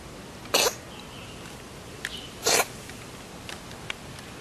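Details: Two short, forceful sneezes from a domestic cat, about two seconds apart, each a dense explosive burst over steady background hiss, with a few faint clicks and small snuffling sounds between.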